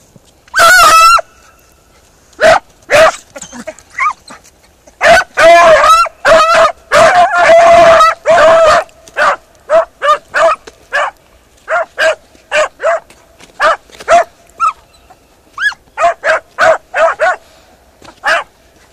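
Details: Beagle Harrier in a ploughed field giving a rapid, irregular run of loud ringing barks and higher yelping cries, some overlapping, with short pauses between bursts.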